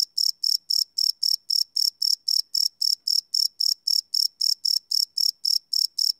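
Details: Crickets at night, field-recorded live without loops on a Sony PCM D100: shrill, regular chirps repeated roughly every quarter second against otherwise silent background.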